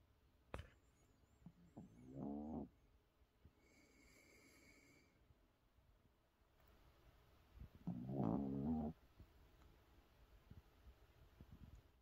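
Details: A Shih Tzu sleeping comfortably on its back snores in two slow, rumbling, nasal breaths spaced several seconds apart.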